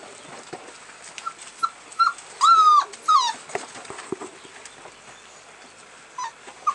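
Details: American Bulldog puppies, 18 February: short, high whimpers and yelps in an uneven series, with a louder drawn-out whine that bends downward, between soft pauses and light background noise.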